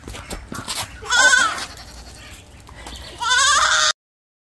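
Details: Baby goat kids, three together, bleating after a night in a small barn as they are woken to be led on leashes to a temporary pen: two short, nasal, wavering bleats amid rustling and handling noise.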